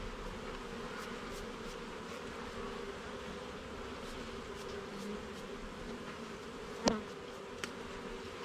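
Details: Continuous droning hum of honey bees in a garden beehive being inspected frame by frame, even and layered, with a single loud knock near the end and faint ticking.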